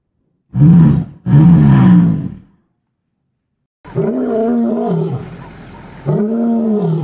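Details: A lion (Panthera leo) gives two deep, rasping roars in quick succession, then after a pause quieter, drawn-out moaning grunts.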